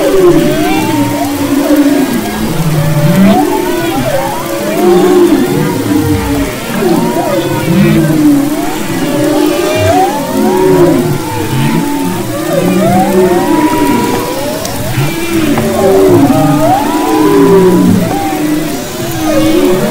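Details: Humpback whales (Megaptera novaeangliae) sing off Maui's west coast in February 2011, in overlapping moans, whoops and rising wails that sweep through the water.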